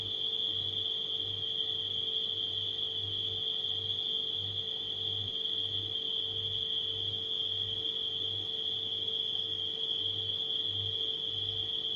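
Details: An unbroken high cricket trill from nighttime insects runs over the steady hum of a refrigerator, its low buzz pulsing roughly every second.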